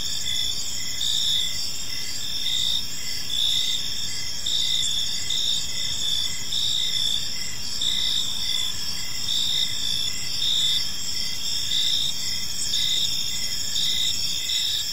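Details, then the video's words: Many crickets calling in an evening park: layered shrill trills run without pause, while a distinct chirp repeats irregularly, near fifty times a minute. "Park Serenade: Cricket Sounds in a Peaceful Park | Evening Ambience"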